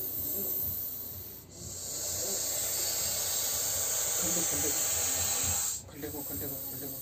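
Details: Russell's viper (ghonas) handled during a snake rescue in India, giving a loud, harsh, continuous breathy hiss that runs unbroken for about four seconds before cutting off abruptly, with faint voices murmuring underneath.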